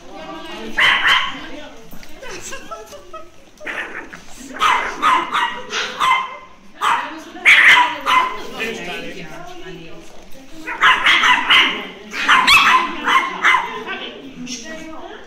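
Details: Chihuahua meeting a new chihuahua at a gathering of chihuahuas and their owners, deciding whether to play: bursts of high, sharp yapping barks in clusters, with people talking throughout.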